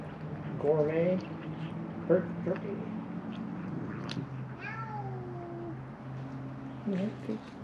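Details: Feral cats, three of them, begging for food by a shut-down building at Mare Island Naval Shipyard, Vallejo, California: two quick, wavering meows, then a longer descending meow, and a last short cry, over a low hum.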